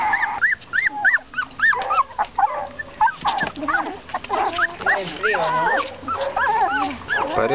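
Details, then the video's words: English Cocker Spaniel puppies near 30 days of age producing repeated arched, rising-then-falling whines about twice a second, later joined by more overlapping yelps, with a person talking in the background. "Cachorros Cocker Spaniel-Ingles"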